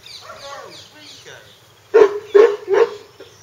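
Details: Hungarian Vizsla pups; people talk quietly at first, then three short, sharp puppy yips come in quick succession near the end.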